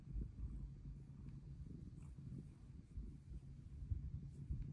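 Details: Soft, continuous low purring from Luna, a pet cat seeking pets, whose purr is getting louder as she ages; a gentle, unbroken rumble.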